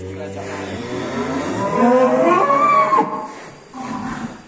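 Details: Heavy full-blood Black Angus bull being led from its pen as a post breaks loose. A loud, long bellow starts low, climbs into a strained, higher wavering moan, then breaks off, with people shouting around it.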